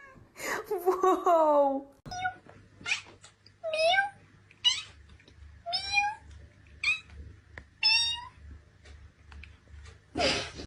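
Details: Cat meowing indoors in a run of short, bending meows about once a second after an opening longer wavering cry, with a low steady hum and faint voices behind.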